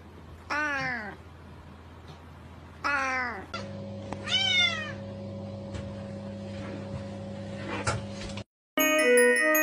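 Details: Cat giving three drawn-out, falling meows a couple of seconds apart over a steady electrical hum, with music starting abruptly at the end.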